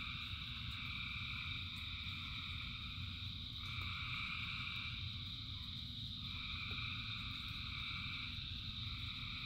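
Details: Rain-soaked frog chorus of thousands of callers, a constant ringing drone of high trilling bands that shift in and out every few seconds, with deep rain rumble underneath throughout.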